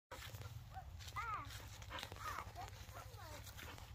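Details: Husky giving short wavering whines and yowls, rising and falling, several in a row over a steady low hum.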